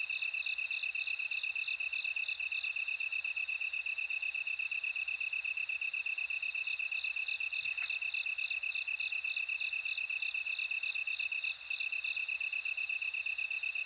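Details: Bell cricket's high, bell-like ringing tone rises and fades in bursts, layered above an even, fast-pulsed lower trill in a dense insect chorus.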